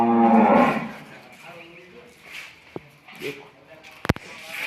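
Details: Water buffalo on a farm, offered for sale, gives a deep, loud moo in the first second, then falls quiet. Faint clicks and a sharp tap follow, with a man speaking nearby.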